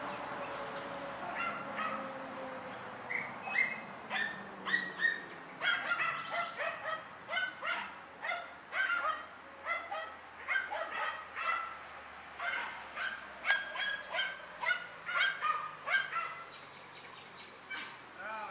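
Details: German Hunting Terrier named Dunja barking while confronting a wild boar on a hunt: a long run of sharp, high barks in quick succession, bursts coming roughly every half second, with a few whimpering notes mixed in.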